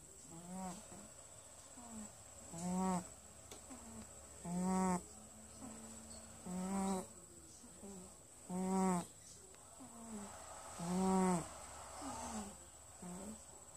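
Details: Sleeping cat named Winston snores in a steady rhythm, a rough, nasal, harmonic rasp roughly every two seconds, with quieter in-breaths between the louder pulses, over a constant high-pitched background hum.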